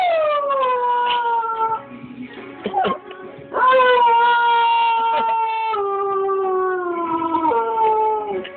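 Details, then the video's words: Husky Beau howls along while watching a TV show, something he does every time that show is on. He gives long, sustained, drawn-out howls that slowly sink in pitch, with a short break before a second long howl and faint TV sound in the gap. "Husky Beau watching t.v and signing along"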